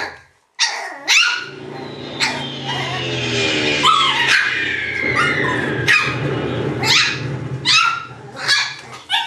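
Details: Shiba Inu puppies yelping and whining almost continuously, with short high yaps broken by drawn-out whimpers that slide downward in pitch, several overlapping, over a low steady hum.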